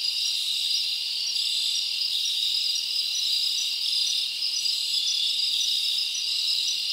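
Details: Crickets chirping at night in a summer forest: a dense, steady high-pitched trilling chorus of many insects, continuous and even in loudness throughout, with no other sounds.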